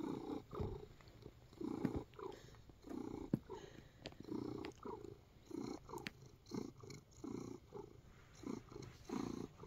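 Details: Purring from a contented male house cat kneading biscuits indoors: a steady, low throbbing rumble that swells and fades with each breath, roughly one cycle per second, with occasional light taps and rustles.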